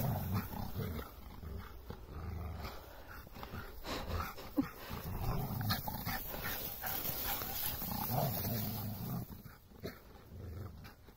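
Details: Raoul, a six-month-old Rhodesian Ridgeback puppy, at play with Galileo the Australian Shepherd; low, continuous play growling in irregular bursts over scuffling and movement noise.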